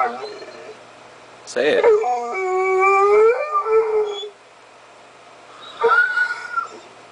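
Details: Pet dog getting vocal indoors: a long harmonic howl that rises and wavers for about two seconds, followed by a shorter whine, with a person's voice in the background.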